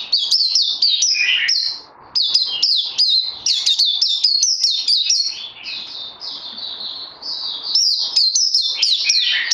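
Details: White-eye (Puteh) practising song after Covid-19, 18 May 2020. Energetic, high twittering with quick up-and-down slurred notes, a brief gap, then continuous varied warbling and chips.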